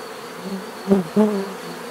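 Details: Close bee buzz passing by, two louder swells of droning hum over a quieter background of buzzing insects.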